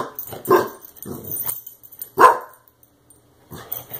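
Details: Brodin, a Clumber Spaniel puppy, barks at a compressed air can that sprayed him when he chewed its plastic; several short barks, one loud bark near the middle, then a brief pause.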